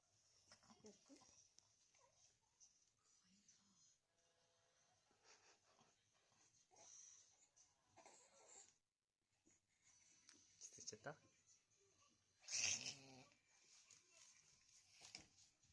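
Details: A pet Papillon having an occasional reverse-sneezing episode indoors while someone tries to stop it: quiet, wheezy, snorting breaths in uneven bursts, with soft human speech and handling noises in a small room.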